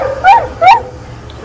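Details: Cocker Spaniel named Daisy during training: two short, sharp barks about 0.4 seconds apart, each bending up then down in pitch, followed by quiet with a low hum in the background.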